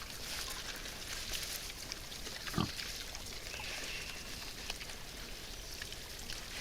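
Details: Wild boars arriving to feed, filmed outdoors; a single short low grunt stands out midway, with rustling and constant high-pitched insect or wind hiss throughout.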